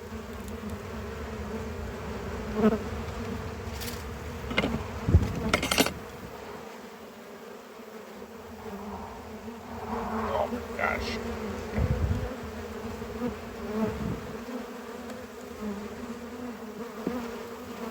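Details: Honey bees droning steadily around a hive during harvest, a continuous low hum with clunks and knocks as heavy boxes are separated and lifted.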